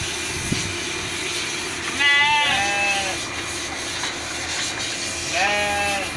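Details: Two bleats from Merino sheep held as breeding stock in Jogja, about three seconds apart. Each is a wavering, nasal cry that falls slightly at the end, heard over constant broadband farm noise.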